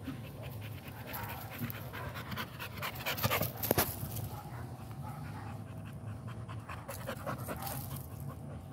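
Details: American Pit Bull Terrier panting in quick, uneven breathy bursts, with a louder rustling clatter near the middle.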